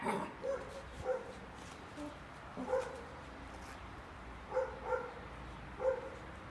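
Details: Hector, a Golden Retriever puppy on his first day at home, chewing and destroying a paper towel, gives short, high, tonal yips, mostly in pairs, about seven spread over six seconds, with soft rustling between them.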